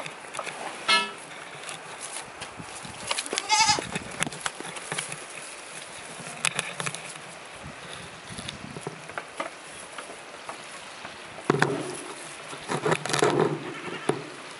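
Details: Tokara goats kept for eco-friendly weeding, out in falling snow; a brief wavering bleat near the start, a louder quavering bleat around four seconds, and rougher bleating near the end over soft patter and background hiss.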